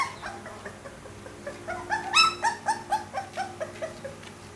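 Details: Pit Bull puppy whimpering: faint soft whines at first, then a louder squeal followed by a series of shorter, lower yips fading out.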